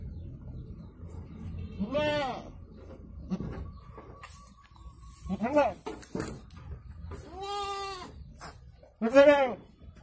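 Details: Goat in labour with two kids calls in repeated quavering bleats, four strained cries spaced a few seconds apart, the last one loudest, over low murmuring and shuffling.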